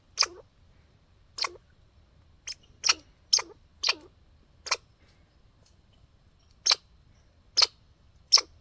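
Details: Backyard squirrel outdoors giving short sharp hiccup-like calls, about ten clicky broadband bursts spaced irregularly over nine seconds, some with a quick downward tail; quiet background otherwise.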